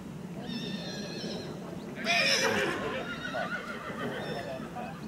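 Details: Colt foal by Zirocco Blue, pedigree including Clarimo and Cesano II: thin harmonic calls early, then a loud, rough, broadband neigh burst around two seconds, followed by fainter tones, with a man talking in German and constant low rumble.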